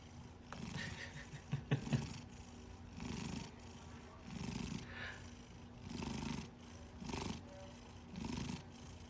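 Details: Domestic cat purring, a low soft rumble that swells and fades in steady bursts roughly every 1.3 seconds, with brief clattering and faint voices near the start.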